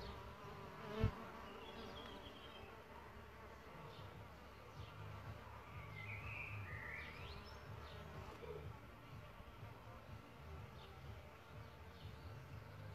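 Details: Low, steady humming buzz of solitary bees around their bug hotel nest, with a brief louder pass near the start and a few bird chirps partway through.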